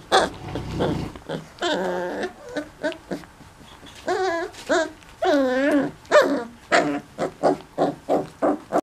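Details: Four-week-old mastiff puppies from Litter M whining and yelping together: long wavering, bending whines with rich overtones, then a rapid run of short, sharp squeals about twice per second toward the end.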